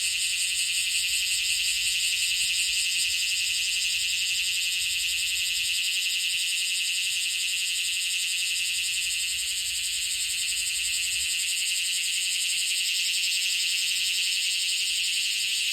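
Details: Bear cicada, the first heard this year, singing while held in the hand: a loud, continuous, harsh buzzing drone with a fast pulsing texture, steady throughout with no other sounds.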